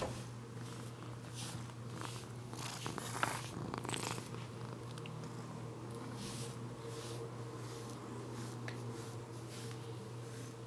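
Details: Tobi, a female Bengal cat who comes for her brushing, purring during grooming indoors; a rhythmic pulsing purr repeats steadily throughout, with light brush rustles and a faint constant electrical hum.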